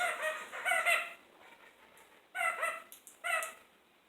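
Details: Kakariki kept indoors, calling in a kitchen: short bursts of harsh, nasal chatter with stacked harmonics, a loud pair of notes, a quiet pause, then two more sharp bursts.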